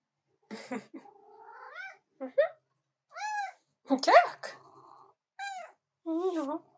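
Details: Indoor female cat interrupting keyboard work to get attention; about six distinct meows, each arched and rising then falling, mixed with brief human speech and a few clicks.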